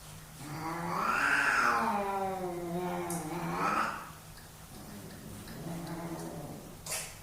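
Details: Two male cats squaring off in a dominance fight indoors: a long quavering yowl swelling then sinking, followed by a quieter low moaning wail.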